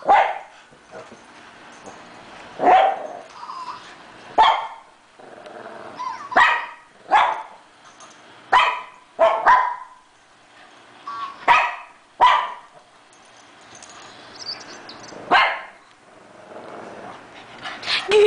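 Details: A 3-year-old Shih Tzu named Chloe barks excitedly as she chases her toy hamster, giving loud, sharp, high-pitched barks throughout, irregularly spaced, sometimes doubled, with brief quieter rustles between.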